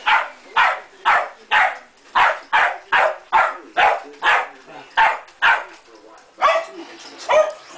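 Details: Vacuum-hating terrier dog keeps up a steady string of loud barks, roughly two per second, with a few slightly longer, rougher barks near the end.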